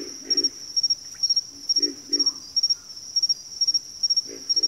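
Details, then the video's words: Several frogs give deep, grunting croaks in pairs and short runs in a backwater setting, backed by an even, rapid pulsing insect chirp high above. "FROGS - Pig Frogs, Water Frogs, Backwater Chorus, & Frog Chorus"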